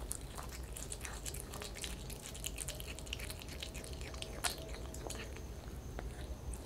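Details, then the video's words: Close sound of a kitten chewing raw chicken inside a small room: crisp irregular bites and crunches, one sharper snap midway, over a quiet low hum. "Cat eating show"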